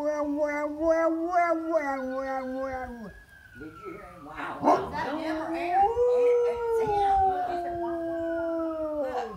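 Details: Pet Bullmastiff howling at sirens: a deep, quavering howl held for three seconds with pulsing pitch, a short break, then a rising, drawn-out howl that slowly sinks again.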